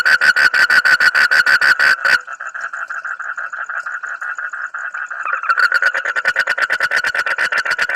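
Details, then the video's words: A frog calls loudly in a rapid series of harsh pulsed croaks, about three per second, then shifts into a continuous rattling trill before the pulsed croaks return. "suara kodok aneh tapi lucu"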